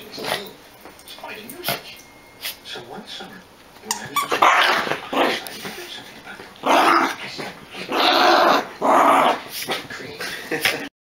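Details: Pair of long-haired Chihuahua brothers tussling over a toy: quiet rustling and small squeaks at first, then loud, gravelly growls in bursts of about a second each, clustered toward the end, with some speech.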